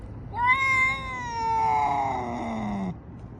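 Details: Domestic cat giving one long drawn-out meow, harmonically rich, starting around one kilohertz and sliding gradually lower, lasting about two and a half seconds over a quiet low background hum.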